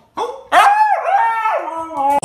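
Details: Hyperactive Siberian Husky vocalizing: a drawn-out, tonal talking howl that rises, dips and swings in pitch across two seconds, with short gaps and a clipped restart at the close.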